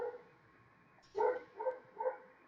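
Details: Household dog barking in the background while its owner runs a software training session and apologizes; three quick, short barks in close succession after a quiet stretch, over a low steady hum.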